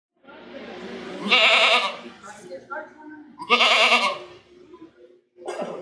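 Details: Goat bleating: two loud, wavering, quavering bleats about two seconds apart, with softer bleats and murmuring sounds between them and a short bleat at the end.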